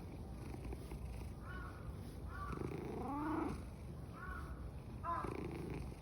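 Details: Loud purring from a contented black-and-white tuxedo cat at Fushimi Inari. A steady low rasping rumble runs throughout, and short arched chirp-like calls overlap it.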